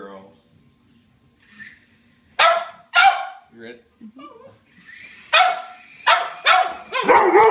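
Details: A Doberman and a cocker spaniel bark at a passing helicopter they are attacking as an intruder. Soft speech and scattered noises come first, then sharp barks in pairs and quick runs, mixed with a person's voice.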